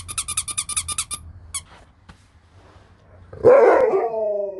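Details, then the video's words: Alaskan Malamute named Sherpa talking at home as the owner asks if it is hungry; after quiet clicks and a music-like tone, a loud drawn-out howling vocalization with many harmonics sliding downward. "You'll never get bored living with a Talking Malamute"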